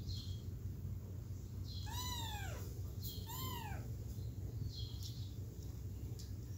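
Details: Two clear kitten meows from one of three kittens, each a rising then falling arched cry, over a steady low rumble; perhaps wanting to return to its mother.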